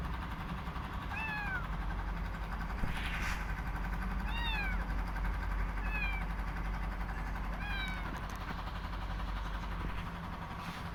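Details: Newly rescued kitten calling softly as it eats, apparently missing its mother cat; four short arched mews spaced roughly every one and a half seconds, with a constant low rumble underneath.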